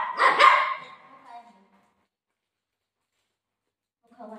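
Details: Pet golden retriever playing with its owner indoors gives a loud, harsh bark that trails off into a softer whine, then a brief quieter yelp after a pause; a woman speaks Marathi nearby.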